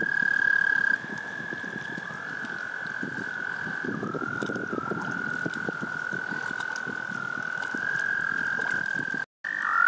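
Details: Several frogs in a mating chorus: a loud high trill at first, then a steady, slightly lower drone with small downward dips, over crackling background rustle, briefly cut near the end.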